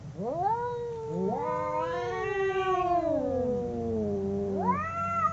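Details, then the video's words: Fighting domestic cats, two of them, give a sustained moaning howl that climbs, holds and slowly sags in pitch, with a second voice rising in sharply near the end. "Two cats howling cats fighting sound"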